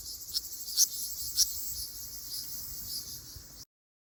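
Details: Ryukyu large brown cicada on Okinawa, Japan, in mid-June, giving a steady, high, hissing drone with a few brief louder accents.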